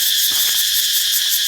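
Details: A cicada calling while perched on a tree in a forest garden in Thailand: a loud, steady, high-pitched buzzing drone with a shimmering pulsed texture, unbroken throughout, with faint low rustling beneath.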